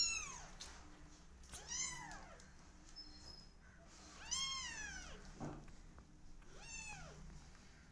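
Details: Quieter, more spaced meows from twenty-day-old kittens: four arched, harmonic cries over eight seconds, with a soft thump between them in an indoor setting.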